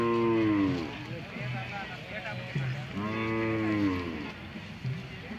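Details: Hallikar cattle at the Madhugiri cattle fair market in Tumakuru district, Karnataka, India; two long, deep moos with bending harmonic tones, the second rising then falling, over crowd murmur and background noise.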